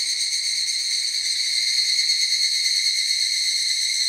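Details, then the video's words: Higurashi cicadas singing together as a group in a forest: a dense, steady, high shrill chorus with shimmering bands and a fast pulsing texture, no other sounds clear. "ヒグラシ / Cicada forest"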